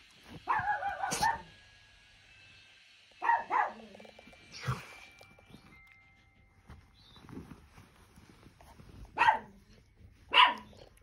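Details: Italian Greyhound dog giving about five short, sharp vocal bursts over eleven seconds. Some are yelping with a tonal, whiny edge and others are abrupt clipped barks, separated by quiet gaps of one to four seconds. Faint background hum throughout.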